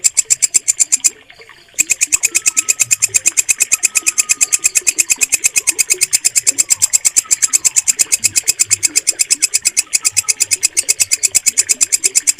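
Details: Walang kecek katydid, offered as a clear-voiced mastering sound for teaching caged birds to sing. Rapid, even ticking rasps run continuously, broken by a short pause near the start, with quiet bird chirps underneath.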